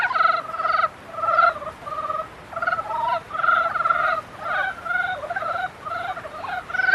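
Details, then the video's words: Frogs in mating season produce a dense run of pulsed, nasal croaks, rising and falling slightly in pitch, with overlapping voices and almost no pauses. "개구리 짝짓기"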